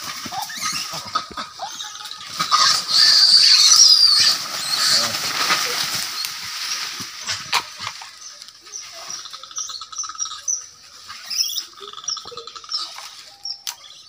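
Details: Angry monkeys fighting: a loud burst of harsh, high screeching squeals peaks between three and four seconds, then fades into scattered quieter squeaks and rustling amid outdoor background noise.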